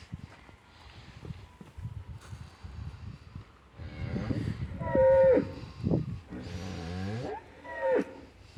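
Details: Dairy farm cows at rest time, giving several drawn-out moos of varied pitch, some long and rising, over a low rumble of farm background noise.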